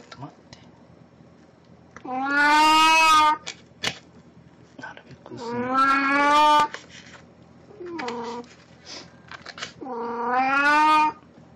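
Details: Puran the cat, wearing a Snow White costume as an encore of a birthday-party cosplay, recorded 1 April 2017, gives three long, loud, harmonic meows that rise then fall, plus one short meow, with faint background talk.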